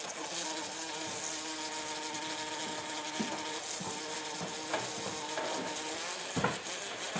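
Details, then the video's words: Decent-sized bumblebee about to be eaten by Butters the cat: a steady low droning buzz with a ladder of harmonics runs unbroken throughout, wavering slightly, with faint taps and one sharp knock near the end. "BumbleBee saved from Cat!!!!"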